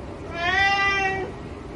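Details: A ginger cat begs for shrimp with a single smooth, drawn-out meow lasting under a second, steady in pitch with bright harmonics, over faint background noise.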